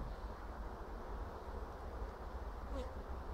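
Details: Honey bees in an apiary in April 2016 during a hive frame inspection: a steady, low, even droning hum that holds without a break, with a faint, brief, higher whine near the end.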